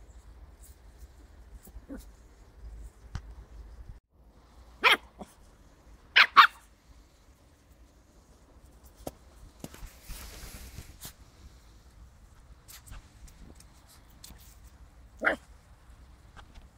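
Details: West Highland White Terrier puppy playing with a ball, giving a few short sharp barks spaced out around five, six and fifteen seconds, with quiet pauses and faint rustling between them.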